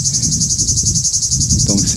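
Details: Male cicada in woods of the Alpes-de-Haute-Provence singing to attract a female: a loud high buzzing throbbing in regular pulses, about eight per second, with a voice starting briefly at the end.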